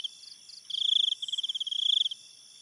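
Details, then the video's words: A cricket at night gives a rapid, high, pulsing trill lasting about one and a half seconds, preceded by a few softer pulses, against a steady shrill background chorus. "cricket sounds and night ambience"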